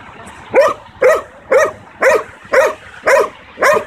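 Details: Seven strong, evenly spaced barks about half a second apart from a 9-month-old Belgian Malinois barking on command during a training session.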